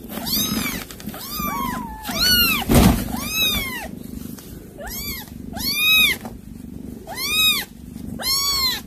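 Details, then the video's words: Domestic cat, from footage of a mother cat that caught prey to feed her kittens and calls them; high, arched meows repeated about once a second, eight calls in a steady series over a low background hum. "아깽이 부르는 소리"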